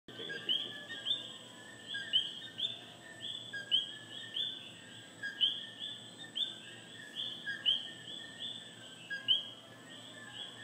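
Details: Coquí, a frog native to Puerto Rico, calling: repeated two-part notes, a short lower tone followed by a higher rising note, given over and over by overlapping callers above a steady high background hum.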